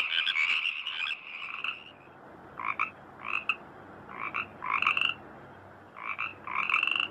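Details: Frogs calling in rice fields in Indonesia, heard as sweet singing: short bursts of rasping croaks, about seven bouts separated by brief quiet gaps, over a soft background hiss.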